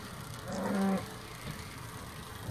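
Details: Hereford cattle, eleven cows with calves landing on Skarø on 13 April 2016 after sailing from Tåsinge to graze there all summer; one short, low moo with stacked harmonics lasting about half a second, then quiet murmuring background.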